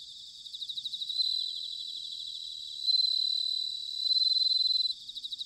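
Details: Bell crickets in autumn, Chiba Prefecture, Japan: short, rapid chirping pulses building into three long, loud, bell-like rings, with quicker chirps returning at the end and a constant faint trill behind.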